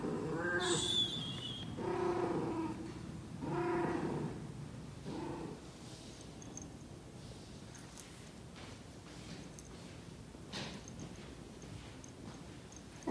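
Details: Persian cat in heat letting out three or four moaning yowls that fade away, followed by quiet with faint clicks and small noises.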